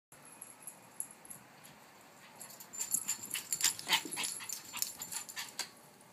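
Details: Dog at play time, panting in quick breathy bursts, about three to four a second, growing louder and denser after the first couple of seconds, with sharp high clicking noises mixed in.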